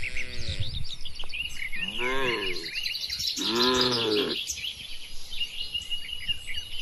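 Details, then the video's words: In a spacious farm barn holding dozens of tame cattle, three drawn-out, deep moos follow one another over about four seconds, each rising slightly then falling, while small birds chatter and chirp continuously in the background. "moo bunyi sapi"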